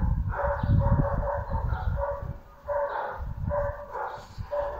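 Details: Layla, a female Bull Terrier, barking in quick bursts, short sharp barks bunched together with pauses between, a steady tonal hum underneath the calls.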